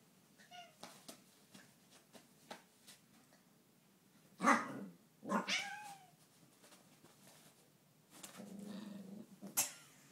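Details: ['Domestic cat Sneak being pestered by another cat, Ash: scuffling and soft thumps lead into two loud, drawn-out meows that fall in pitch midway through, then more rustling and a final sharp burst.']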